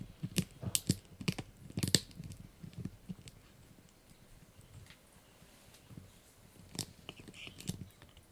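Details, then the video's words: Blue, a Yorkshire Terrier puppy, crunches a dried bunny ear indoors, sharp crackling bites in quick bursts over the first two seconds, then sparser crunches near the end. "Yorkie Puppy Eating Dried Bunny Ear 🐾 | Funny Faces & Crunchy Sounds!"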